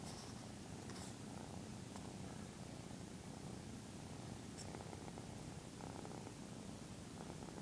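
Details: Continuous deep purring from Taniwha, a young Maine Coon kitten of 13 weeks, as he grooms his owner. The rhythmic rumble is loud and close, with faint rustling and occasional light clicks above it.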